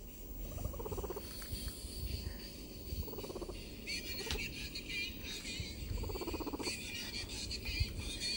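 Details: Pet guinea pigs, ticklish, cooing while being tickled: short vibrating, pulsed purr-like bursts come about three times, each under a second, with people talking and laughing around them.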